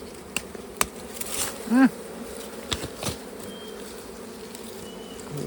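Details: Honey bees heard during a honey harvest: a steady, low droning hum that runs throughout, with scattered sharp clicks and handling knocks and one short rising tonal squeak near the middle.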